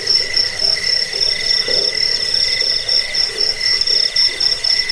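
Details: Shrill cricket chirping for chasing rats away, easing sleep and serving as a songbird tutor: an unbroken high metallic trill with rapid pulsing and softer chirps weaving underneath.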